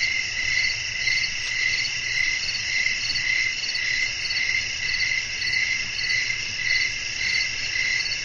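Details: Crickets chirping in a night-time nature setting with blowing wind: a dense, high, shimmering chorus pulsing steadily about twice a second over a faint low rumble.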